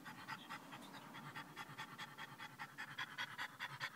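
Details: Excited French Bulldog in a car after a short drive, panting quickly with regular breathy puffs, roughly two to three each second, growing slightly louder toward the end.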